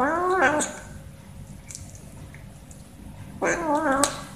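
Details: Domestic cat, one of two hurrying up for food, utters a short rising-falling meow, then silence of about three seconds before a second wavering meow with a brief click at its close.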